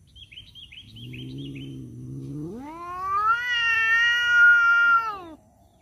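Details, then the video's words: Domestic cats, males fighting over a female, give a drawn-out caterwaul: a low moaning growl that rises abruptly into a loud, sustained wavering howl, with faint bird chirps early on. "suara kucing berantem rebutan janda"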